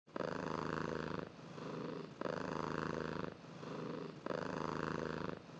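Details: Sleeping kitten purring in a cozy setting; rhythmic purr with loud inhale phases about a second long alternating with softer exhale phases, cycling roughly every two seconds, close and clear with no other sounds.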